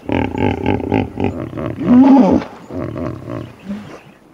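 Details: Hippopotamus call: a series of deep, pulsing honks with rich low harmonics in the first second and a half, swelling into a louder drawn-out groan near the two-second mark, then fading grunts.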